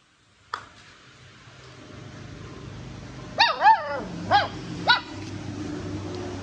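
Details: Busy puppy barking while chewing: after a quiet start, four short, high, yelping barks come in quick succession over about two seconds, with a low steady hum underneath and laughter just after.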